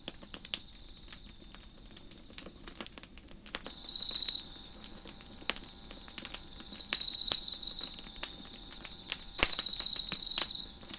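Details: Crickets give high, pulsing trilled chirps every few seconds over the sharp snaps and pops of a crackling fire on a deck.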